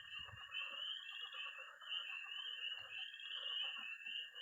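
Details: Early spring night in Missouri with tree frogs, toads and frogs calling at a pond; a thick continuous high peeping chorus over a lower steady trill and scattered croaks, a few faint low thumps.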